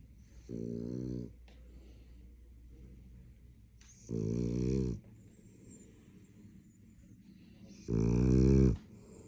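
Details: French Bulldog asleep and snoring, three loud, rough, droning snores spaced about every four seconds, each growing louder, with soft breathing between them indoors.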